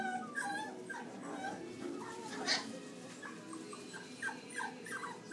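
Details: A mixed-breed puppy makes soft, short whimpers and yips at irregular intervals, with faint background rustling.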